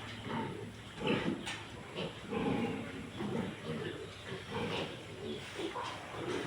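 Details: Domestic pig at a farm where a sow gave birth earlier the same day: short, rough grunts come in irregular bursts roughly every second or two, mixed with a man talking nearby.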